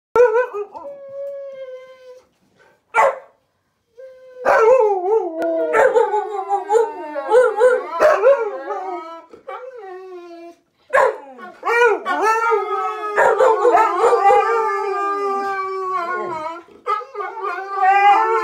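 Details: Several huskies and husky mixes howl together, one of them not a husky: long wavering tones bending up and down, overlapping voices, with short yips and a few brief silent gaps.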